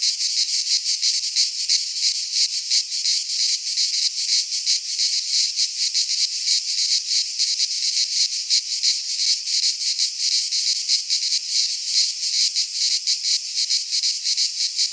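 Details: Cicadas singing in midsummer in a Greek pine forest: a dense, continuous shrill buzz, high-pitched and steady, pulsing slightly in loudness throughout, with no other sounds.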